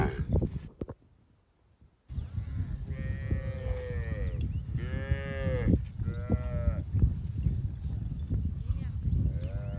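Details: Cows grazing with their calves in a field: after a brief silence, a string of long, wavering moos with rising-then-falling tone, several overlapping callers, against constant low rumbling background noise.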